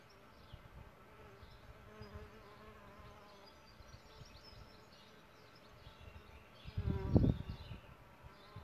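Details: Solitary bees at their bug hotel nest give a steady droning hum with layered overtones for several seconds. A loud, close buzzing burst follows near the end, over faint distant birdsong and low rumble.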